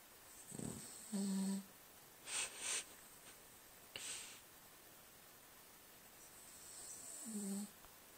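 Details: Cavalier King Charles Spaniel snoring while asleep indoors: two drawn-out, low droning snores with a buzzy harmonic tone, separated by softer airy breathy bursts in a quiet small room.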